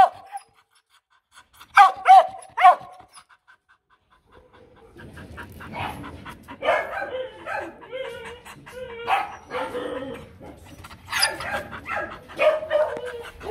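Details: A female Mong Coc dog, a Vietnamese bobtail breed, at a kennel in Vietnam, barking to demand something rather than to threaten. A short burst of three sharp barks comes early, followed by softer whining, panting and yips.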